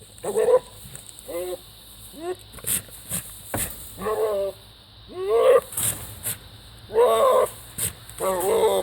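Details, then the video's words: A goat making bizarre, strange noises: a series of short, harmonic, wavering bleats, each under a second, repeated about every second. Sharp clicks and knocks are heard between calls. "Crazy goat makes bizarre noises"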